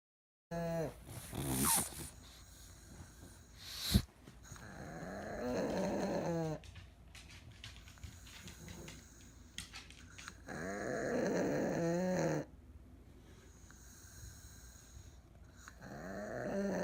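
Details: An elderly Pug needing care, fast asleep indoors with its eyes wide open, snores in harsh, wheezy bursts with a tonal, harmonic edge, returning about every five seconds with quieter breathing between.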